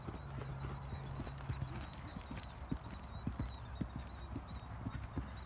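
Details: Green Thoroughbred mares, ex-racehorses retired from racing in September, on their second off-property jump school, about their fifth time jumping. Irregular thudding hoofbeats, roughly two per second, over a low outdoor rumble with a faint steady high whine.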